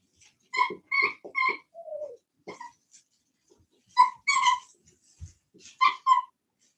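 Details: Cane Corso (Italian Mastiff) from a breeding kennel an hour west of Nashville, Tennessee, producing clear high whining yelps in quick groups of two or three, separated by short silences and a soft lower moan.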